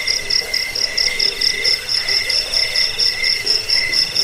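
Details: Cricket chirps played to drive off rats, lull people to sleep and train songbirds; shrill, high pulsed trills pour out in quick bursts about twice a second, layered over a lower ringing tone, with a faint buzz beneath.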